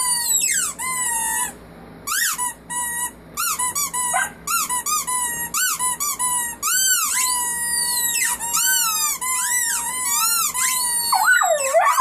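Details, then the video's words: A family of puppies howling; thin, high-pitched wails arch up and down and overlap in a squeaky chorus, with brief gaps between bursts. "Family of puppies howling"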